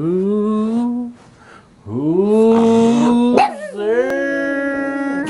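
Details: Pet dog, a Puggle or black pug, greying around the face, howling indoors: long, steady, drawn-out tones with rich harmonics, a pause, then a second sustained howl that bends into a third, slightly shifted note.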